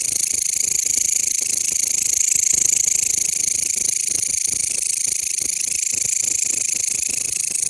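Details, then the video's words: Loud, close chirping of a Mecopoda elongata bush cricket: a high, harsh, unbroken buzz made of fast regular pulses near four per second, running evenly through the whole stretch. "タイワンクツワムシの鳴き声 / Mecopoda elongata Chirping"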